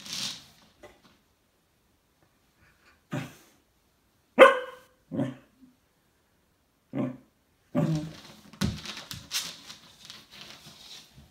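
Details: A male Cocker Spaniel, seeing himself in a mirror, gives single sharp barks spaced a second or two apart, ending in a burst of rapid barking.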